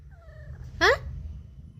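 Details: Domestic cat answering its owner in a back-and-forth conversation at home, giving one short, loud, rising-then-falling meow after a man's soft speech, in a quiet indoor room.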